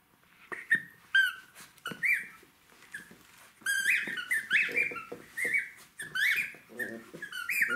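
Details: A Jack Russell Terrier puppy playing with toys indoors gives a string of short, high, wavering whines and yelps at irregular intervals, growing busier in the second half, with soft rustling and knocks between calls.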